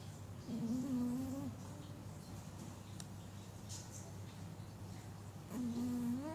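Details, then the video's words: Sleeping Chihuahua snoring: two drawn-out, nasal, whistling tones about a second long, five seconds apart, each slightly wavering then rising at the end, over a quiet indoor hum. "Chihuahua snoring (chihuahua tidur ngorok)"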